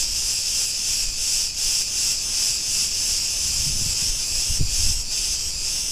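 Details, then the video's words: Cicadas singing in a street of Ierapetra on Crete, Greece, a steady high-pitched sizzling buzz with gentle rhythmic surges, and a few faint low knocks near the end. "Cretan cicadas sounds"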